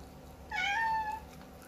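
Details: Persian cat, confused and sad in its new home, gives a single drawn-out meow lasting about two-thirds of a second, a steady mid-pitched cry with bright overtones, indoors in a small quiet room.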